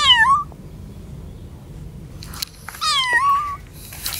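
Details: A frightened kitten, away from its mother cat for the first time and in a strange place, gives two high, thin meows, each sliding down in pitch and then lifting slightly at the end.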